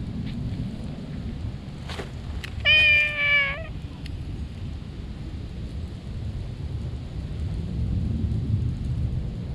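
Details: Stray cat under shady trees crying out with joy when it sees a person; a single drawn-out harmonic meow near the middle, with clicks and a heavy low rumble of outdoor noise around it.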